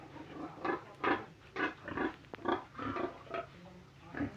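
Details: Pig grunting rhythmically, short low nasal grunts repeated about every half second, steady and fairly even in loudness over a low background hum.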